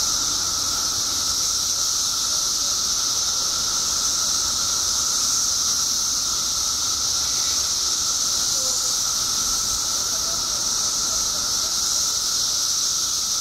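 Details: Periodical cicadas by the billions in Illinois, emerged after 17 years underground: a dense, unbroken high-pitched hiss-like drone with no pauses, plus a steady fainter whine lower down, holding level throughout.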